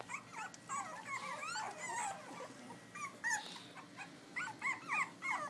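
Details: Litter of eight Pitbull cross x Belgian Malinois puppies, born May 19, 2011 in Butuan City, filmed by iPhone; several pups whine together in a busy chorus of short, bent squeals, several per second, with a soft background hiss.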